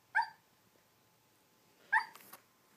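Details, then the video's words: Sleeping dog Apollo lets out two short, soft, muffled woofs about two seconds apart, the second trailing into a faint breathy snuffle, in a quiet indoor setting. "Apollo barking in his sleep"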